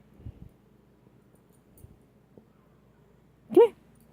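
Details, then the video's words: Shania, a pet dog being scolded indoors for talking back, answers with one short, rising, whine-like yelp near the end after a quiet stretch; faint soft thumps and low room hum earlier. "Shania dog gets in trouble for talking back"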